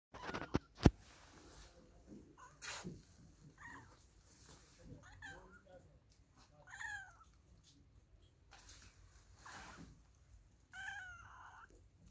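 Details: Domestic cat meowing indoors: several separate meows, each a drawn-out, bending tone, scattered across the span with short gaps, alongside thumps, clicks and faint background voices.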